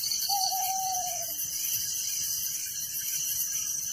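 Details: Crickets at night in a village give a constant high shrill pulsing chorus, and one long, level, gently falling whistle from another animal sounds early on before the insect chorus continues alone.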